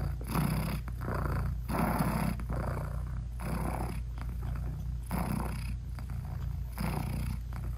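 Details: British Shorthair mom cat purring to her newborn kittens as they nurse; a low, rough rumble swelling on alternate breaths roughly every one and a half seconds, intimate and close, nothing else audible.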